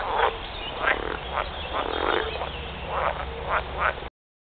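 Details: Edible frogs giving their mating calls together: repeated harsh, buzzy croaks roughly every half second from overlapping callers, a busy chorus that stops abruptly near the end.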